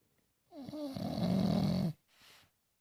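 An English bulldog snores with a deep, rattling rumble on the inhale, then a softer wheezy breath out.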